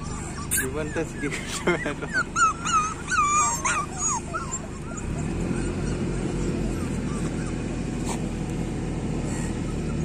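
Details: Several street puppies at feeding time give quick high yips and whines in the first seconds, then fade under a steady low hum and a man's voice.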